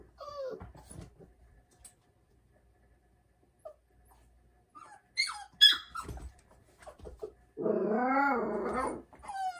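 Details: Labrador Retriever puppy named Bell crying on her first night in a cage indoors; sparse high whimpers and yelps with silent gaps, then a long wavering whine near the end.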